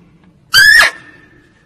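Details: A female barking deer gives a lone loud yelp, used as a lure call for hunters: a short, rasping, squealing bark that climbs slightly and drops at its end, over faint low background hum.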